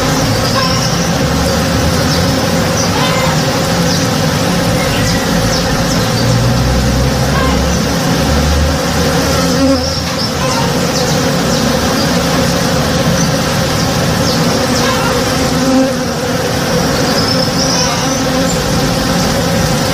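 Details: Honey bees at work on a tree in bloom in a home backyard, recorded in the morning; the swarm's continuous low buzzing drone holds steady, and a few soft, thin bird notes sit faintly above it.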